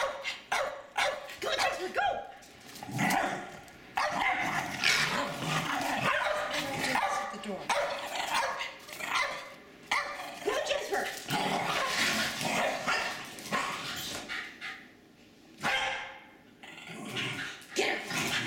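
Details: Two Jack Russell Terriers playing in the snow in a suburban St. Louis backyard on 24 February 2016; rapid sharp yips and barks in quick bursts, with overlapping human speech throughout.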